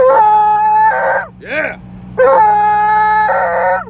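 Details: A male Treeing Walker Coonhound, loud, on the way to the vet, gives two drawn-out, full-throated bays, each held on a steady, rich tone before sliding downward, with a short, rising-and-falling yelp between them.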